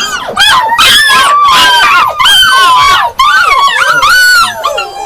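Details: Yakutian Laika dogs giving high, overlapping yelps and short howls that arch up and down in pitch. Several voices cross each other in a near-continuous chorus, with brief gaps around the second and third seconds.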